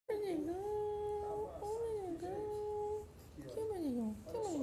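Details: A male Shih Tzu puppy gives drawn-out, sliding whines that bend up and down in pitch.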